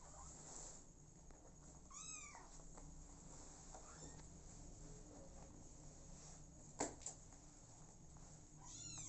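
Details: Motherless kittens living with an adoptive mother cat; two brief, high, arching mews, one near the start and another at the end, over a steady low hum and faint indoor rustling.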